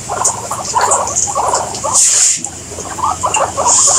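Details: Guinea pigs squeak in short bouncing clusters, stopping briefly around the midpoint before starting again, with bright high-pitched hissy bursts overhead.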